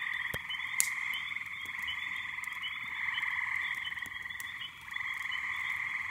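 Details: Night chorus in May from a backyard pond with huge numbers of small peepers and frogs: a dense, steady wall of shrill trilling peeps, unbroken across the whole stretch, with a few sharp clicks.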